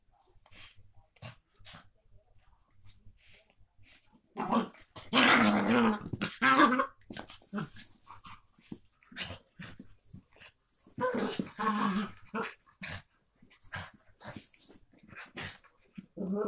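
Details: Two Miniature Pinscher half sisters at play indoors: rough, noisy growling and snarling bursts with short yips, swelling into louder tussles mid-clip, separated by brief quiet snorts.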